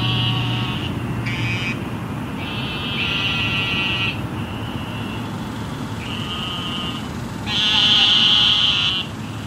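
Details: Calling after flooding rain in Houston, a group of eastern narrow-mouthed toads produce repeated nasal buzzing bleats of varied length, one closer and louder near the end, against a background of city traffic noise.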